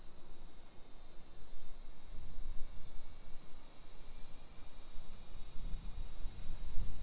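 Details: A continuous high buzzing wash from summer cicadas fills a modern suburban neighbourhood in Nisshin, Aichi, Japan, early afternoon in late July 2021, with a soft low rumble of walking and wind beneath it.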